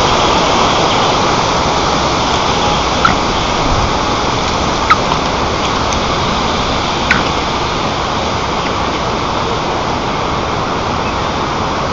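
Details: Steady rushing noise like rain or flowing water fills the recording, with a few faint clicks and no clear animal calls.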